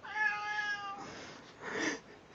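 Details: Domestic cat meowing in a funny cats-saying-hello compilation: a clear drawn-out tonal meow about one second long, steady then falling slightly, followed by a rougher, noisier vocal burst; people say hello before and after.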